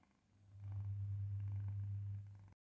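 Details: Leva, a male Maine Coon cat, "sings" while eating: a deep, steady, purr-like hum held evenly for about two seconds, starting softly, swelling quickly, then cutting off.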